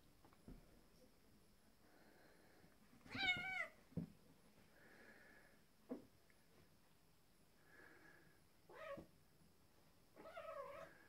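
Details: Tom, a black and white male cat, and a neighbour's male cat fight over territory; harsh, wavering yowls with stacked overtones burst out three times, separated by quieter stretches with faint murmurs and low thumps.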